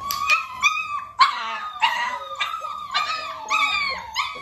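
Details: Several Dalmatian pups close to six weeks of age, being clicker trained alongside their mother Arya, let out a run of high, drawn-out, howl-like whines and yelps, each rising then falling, repeated roughly every half second.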